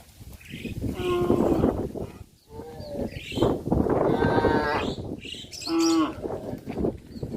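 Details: Cows on a traditional cattle farm in the countryside mooing repeatedly, with drawn-out harmonic lows of about a second each, several in quick succession and some overlapping, as though more than one animal is calling.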